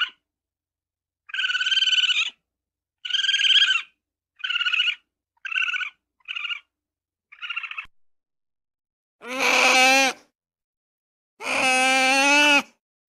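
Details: Ferret calling in short rapid-pulsed bursts, six quick clucking chatters about a second each, then two longer, lower, strongly harmonic whining squeals near the end; clean, quiet background with silent gaps between calls.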